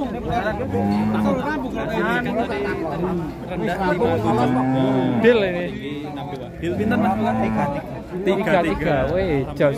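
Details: Low, resonant moos from Limousin cattle come in irregular bursts, some drawn out and sliding slightly in pitch, blended with lively human chatter and crowd noise.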